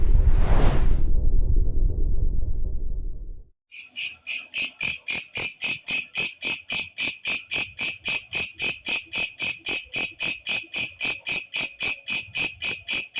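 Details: Katydid, known locally as walang kecek, a loud insect heard when night falls, used as a tutor sound for songbirds; after a burst of rumbling noise, sharp high buzzy pulses start, repeated steadily about four times a second.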